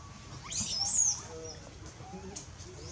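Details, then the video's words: Baby monkey named Lewis screaming loudly to call its mother for help while in danger: one shrill, very high screech lasting about half a second, bending up then down, followed by faint lower chatter over steady background hiss. "Poorest Little Baby Lewis Screaming loudly call mom to help, baby is in dangerous"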